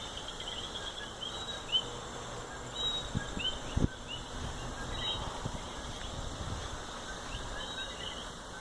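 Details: Coqui calling in natural habitat in Puerto Rico: many short, sharply rising chirps overlapping in a steady chorus, with a few low thumps and rustles near the recorder.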